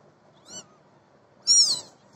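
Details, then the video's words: Babi the cat lets out two meows, a faint brief one followed by a louder, clear harmonic mew that rises then falls, in a quiet room. "cat Babi"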